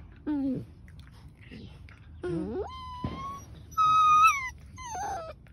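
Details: Two German Shepherds, Rose and Emerald, fighting: drawn-out whining cries with bright harmonics, some rising then holding steady, others sliding down, in separate bursts with quiet gaps and low background noise between.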